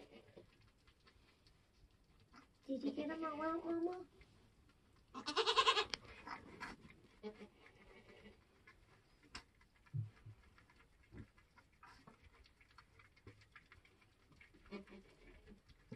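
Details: Nigerian Dwarf goat on a homestead in kidding season, during a birth. A wavering, harmonic bleat lasts over a second, followed by a brief noisy burst, then soft rustling and scattered faint clicks.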